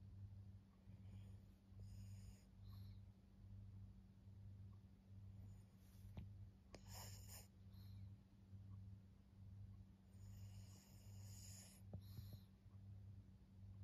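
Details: Low, regular snoring from a senior fawn Pug named Maria, a fourteen-year-old female in Japan, October 2024: throaty rumbles roughly every second against a constant hum, with occasional sharp clicks and brief higher rustles.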